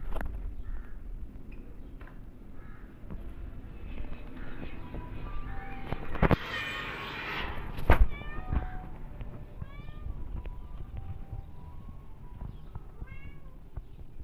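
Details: Mother cat back with her kittens after two days away, nursing them; a loud meow midway is followed by a series of thin, high, short rising-falling mews from the kittens, with low background rumble and thumps.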